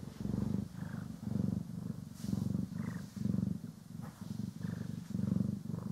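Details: Poki and Kiwi, pet cats, purr during brushing and grooming in a stereo recording: deep rhythmic purring in swells about once a second, each inhale and exhale distinct, with faint higher brush strokes.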